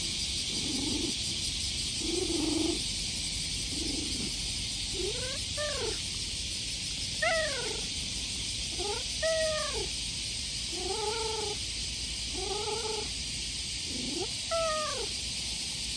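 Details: Stray cat meowing in a cute voice while being stroked on a summer day: nine short, arching meows, gliding up then down, each under a second, spaced one to two seconds apart, over a loud, steady drone of cicadas.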